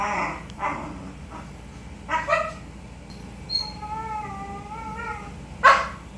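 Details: Husky giving soft broken whimpers, then a thin wavering whine held for about a second and a half, ending in a sharp short yelp, in a quiet indoor setting.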